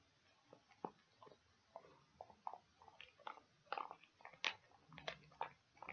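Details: Domestic dog gnawing on pig ears indoors, giving quieter, irregular crunches and clicking bites that grow denser and louder toward the end, over faint room hiss.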